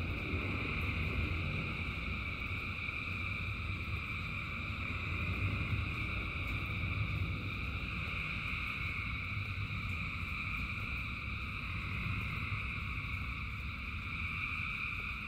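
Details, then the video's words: A huge frog chorus in rain: continuous overlapping trills blend into unbroken droning bands, mid and high tones holding steady throughout, with rain adding a deep, rushing rumble underneath. "Frogs in Rain 2 Hours of Frogs, Thousands of Frogs Singing"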